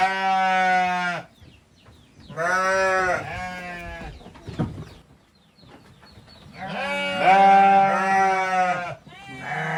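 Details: Goats kept on a farm, young kid and both parents, producing loud harmonic bleats: one long cry, a pair of shorter ones, then a sustained wavering bleat, with a faint thud between calls.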